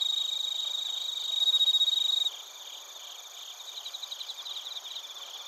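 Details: Insect chorus of bell crickets and crickets from Narita, Chiba, Japan: a loud near trill fades out after two seconds, leaving softer rapid pulsed chirps repeating over a steady high ringing drone.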